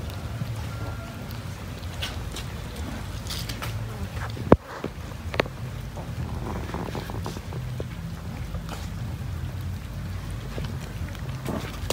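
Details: Low rumbling background with steady noise resembling rain or an engine, scattered faint clicks, and one sharp crack near the middle.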